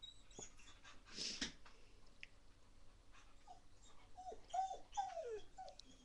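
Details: A female Rottweiler puppy gives short, high, falling whines and yips between bursts of scuffling during a mad five-minute play session.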